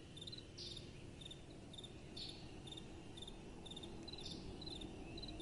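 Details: Quieter crickets chirping at night, rhythmic high pulses about twice per second, with a few brighter, louder chirps breaking in, all over a soft, continuous wind rumble.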